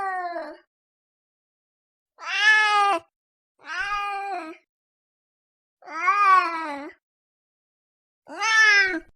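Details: Domestic cat giving five clear, harmonic meows about two seconds apart, each a drawn-out, slightly arched cry with gaps of silence between them.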